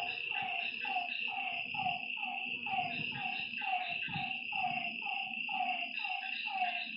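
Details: Night frog chorus at a lake: repeated, slightly descending croaking notes about once a second, several voices overlapping, backed by a constant high-pitched insect trill and soft low background noise.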